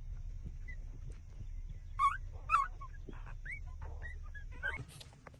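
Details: Six-day-old puppies suckling at their mother's teats give a few short, thin squeaks and little rising whines, scattered singly over a low steady rumble, with one louder pair of squeals near the middle.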